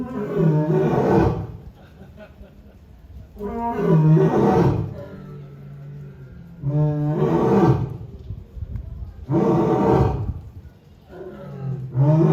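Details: Captive polar bear at Asahiyama Zoo, Japan, recorded 4 June 2023, roaring: five deep, harsh, harmonic-rich bursts of about a second each, repeated roughly every two and a half seconds, with quieter breathy gaps between.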